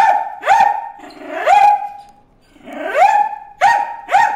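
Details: Bruce the dog barking at fish in a water hole: high-pitched, rising yelping barks with whining slides between them, delivered in irregular bursts.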